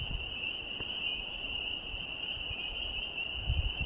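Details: A chorus of spring peepers at a Michigan cemetery at night on a cold (39°F) May 14, 2016, their high piping calls merging into one steady, shrill ring.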